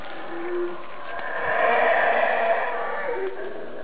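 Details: Howler monkey calling from above, hidden from view, heard nearby: a short low moan opens, then a coarse roaring swell rises to a peak and fades.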